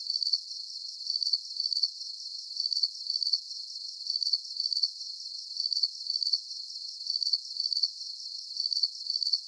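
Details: Calming crickets chirp in quick repeated bursts of shrill pulses, gaps of under a second between groups, above a soft unbroken high hum, the only sound throughout.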